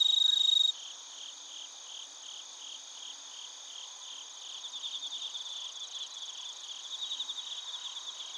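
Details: Crickets and bell crickets calling in Narita, Chiba, Japan, via TASCAM Portacapture X8. A short clear ringing note opens, followed by a softer continuous high chorus of evenly pulsed chirps that grows slightly louder later.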